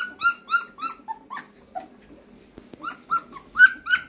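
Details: German Shepherd puppies, 15 days old, a litter indoors, giving high whimpering squeals that rise then level off, about three a second, with short pauses between bursts.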